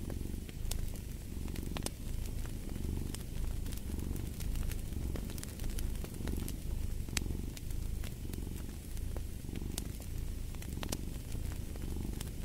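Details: Cat purring loudly and evenly, deep rhythmic rumble rising and falling about every second, accompanied by crisp crackling and popping of a fire in a fireplace.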